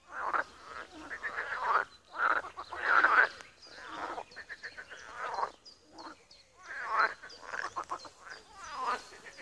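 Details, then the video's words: A frog pond in Wiry, Poland, with loud rasping croak bursts in groups, short gaps between them, and a songbird's repeated high chirps audible in the middle. "Żabi stawek, kumkanie, rechot żab"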